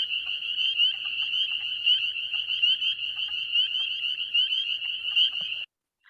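A dense chorus of spring peepers, high piercing peeps merging into a jingling sound like shaken sleigh bells.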